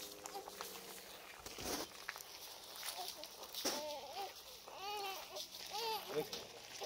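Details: Pair of wolves in the wolf park at Merzig, Saarland, Germany, agitated and worried after hearing a human baby crying: a run of arching, rising-then-falling whines in the second half, over German speech and outdoor noise.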